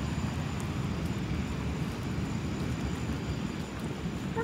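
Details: A steady low engine rumble, like a passing aircraft or vehicle, with no animal voice. Nothing else stands out above the broad mechanical drone.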